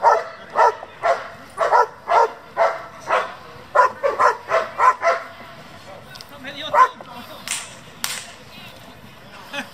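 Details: Working-line German Shepherd barking repeatedly, around two barks per second for the first five seconds, then sparser barks while people talk nearby.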